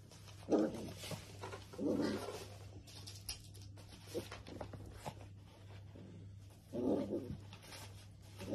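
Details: Dachshund, a playful wiener dog indoors, gives three short, muffled, gruff barks spaced a few seconds apart, with soft rustling between them over a steady low hum.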